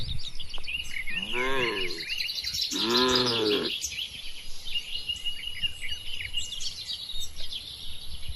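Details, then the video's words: Two moos, each about a second long, come close together from tame cattle in a herd wandering and foraging across a large oil palm plantation. A constant backdrop of chirping and whistling birds fills the scene. "Moo Moo Suara Sapi Jinak"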